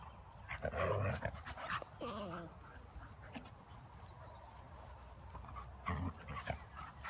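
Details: Siberian Husky puppy playing roughly with its big brother and mother, giving a short wavering whine amid scuffling, thumps and panting breaths.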